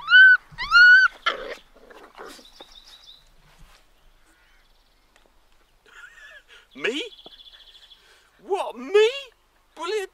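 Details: Labrador Retriever puppies, seven in the litter, 37 days old, playing rough together: a quick pair of high, arched, squealing yelps at the start, then scattered whines mixed with people talking nearby.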